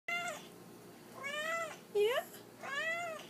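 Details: Pet cat indoors meowing to get something across, rarely vocal: four harmonic meows in three seconds, arched then falling, one short rising squeak near the middle; quiet room hum underneath.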